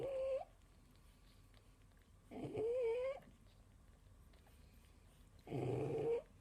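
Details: Sleeping pug mother feeding a litter of six puppies aged four days snores in three wheezy bursts, each carrying a nasal whistled tone that rises and wavers, separated by quiet pauses of about two seconds.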